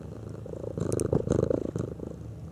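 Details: Domestic cat purring while curious about a ticking clock; a low rumbling purr with rapid pulsing, swelling in the middle of the clip, indoors with brief faint high ticks.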